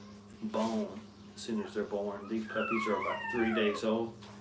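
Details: Young Brittany puppies beside their mother in a kennel give quick, overlapping whimpers and yips, several sliding down in pitch, packed closely over four seconds against a constant low electrical hum.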